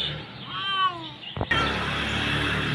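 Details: Hungry kitten at mealtime: a short, wavering meow early on, followed by a clatter and a burst of broad rustling noise as feeding begins.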